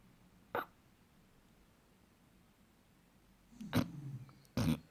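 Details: Douglas, an eight-month-old Basset Hound, asleep and snoring: a short snort, a long quiet pause, then two louder snuffling snorts close together near the end, over faint low background noise.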